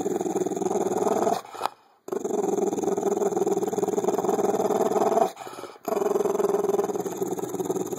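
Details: Cujo, a female Bulldog, growls while playing with her jolly ball; a continuous throaty, rapidly pulsing rumble fills the recording, interrupted only by two short pauses for breath around the second and fifth seconds.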